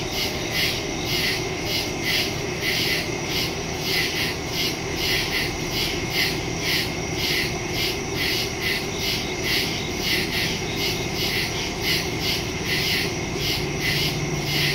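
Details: Woods at night full of chirping crickets, recorded September 2, 2023 on a phone with a Shure MV88+ stereo microphone; shrill pulsing trills beat evenly several times a second, layered with a continuous high ringing and soft low background noise.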